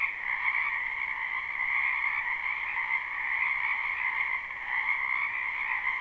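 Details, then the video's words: A live recording of numerous frogs croaking in a spring wetland; their calls blend into a steady, rippling two-tone chorus, dipping briefly in loudness near the fifth second. "Ambient Noise for Sleep Frogs"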